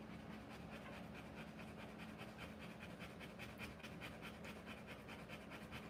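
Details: Rottweiler panting while giving birth to puppies: rapid, steady breathy bursts, roughly two and a half per second, continuing through the whole stretch at low volume with a faint background hum.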